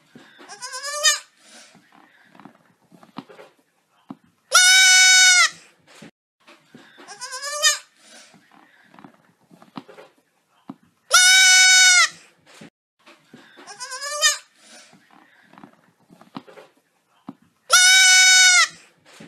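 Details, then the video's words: A little goat screams loudly in a human-like way, long harsh cries about every three seconds, alternating between falling wavering bleats and flat sustained yells, with quiet rustling between calls. "Little CUTE GOAT yelling like human "FUNNY SCREAMING GOAT""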